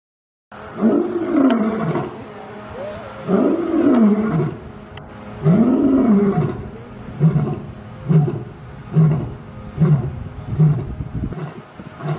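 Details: Lion at the Bronx Zoo in December, roaring before wrestling with his brother: deep moaning roars rising and falling in three long swells, then a run of short grunting huffs about once a second, trailing off.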